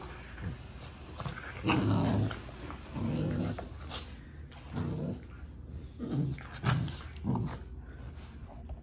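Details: Sibling puppies, Bonnie and her brother, playing and tussling indoors; low rumbling growls in short bursts about every second, with scuffling sounds and a steady high whine in the background.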